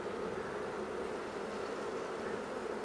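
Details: Honey bees in a Minnesota hive reacting to a formic acid mite treatment just applied; a dense, steady hum with a broad band centred low-mid, no breaks.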